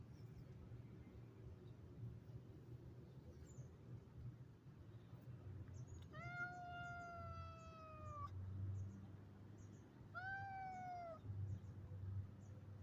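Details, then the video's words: Calico cat rebuking a Siamese cat indoors: two drawn-out, clear meows, the first about two seconds long and slowly falling, the second shorter, over a low steady background hum. "Calico REBUKES Siamese Cat"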